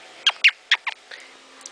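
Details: A young pet black-tailed prairie dog, excited after being put away following play, gives a quick run of shrill, chirping barks, each a sharp squeak.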